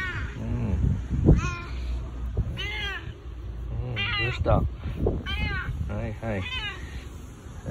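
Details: Male boss cat, domestic, rubbing against a person and seeking affection with a husky voice while no other cats are around; several short, rough, arching meows spaced about a second apart over loud low rumbling and handling noise.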